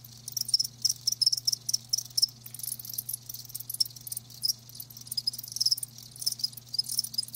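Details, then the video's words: Several live crickets chirp in short, high, pulsing bursts, some louder chirps standing out against a steady low hum. "Live Crickets 60min "Natural Sound""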